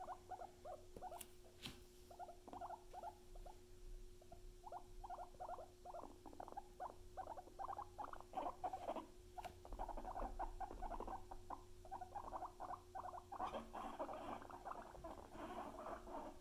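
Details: Luna and Chip, pet guinea pigs, keep up a long run of short clipped squeaks in irregular quick series, growing denser and louder near the end, over a constant low hum and occasional sharp clicks.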